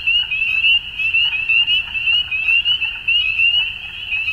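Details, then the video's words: Frogs at dusk in spring, Ontario, Canada, calling en masse: piercing upslurred peeps pile together into one bright, unbroken high tone, pulsing roughly once per second. "Frog Sounds At Dusk"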